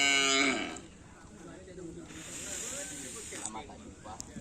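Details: Cattle at karapan sapi bull-race training on the Asemanis field: a brief, harmonic-rich bellow opens, then softer wavering lowing fades under a steady hissing background and faint distant voices.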